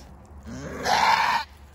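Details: First-time mother goat screaming while in labor, struggling to deliver outdoors: one loud, harsh, strained bleat of about half a second, rough and wide-band, rising out of quiet background with a low steady hum.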